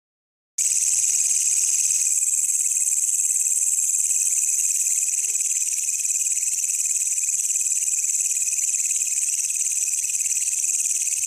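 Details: Wild katydid (walang kecek) found by chance during a night search, its call used as training material for songbirds: a continuous, dense, high-pitched buzzing trill that starts abruptly after a brief silence and holds steady throughout, with no other sounds.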